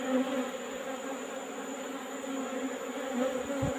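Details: Asian honey bees (Apis cerana), a wild colony being taken from a hole in rock in the afternoon, combs being trimmed: a steady, even hum with a low droning tone and overtones, with faint soft knocks near the end.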